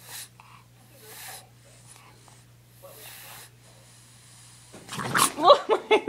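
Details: A French Bulldog, upset at being filmed, lets out a short burst of snorting, whiny grumbles after a quiet start.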